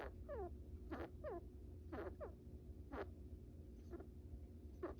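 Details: Pet brown rat, a male, asleep during a nap, giving tiny snores: a few short falling squeaks with breathy bursts, spaced roughly one per second, quieter and sparser. Low steady background hum.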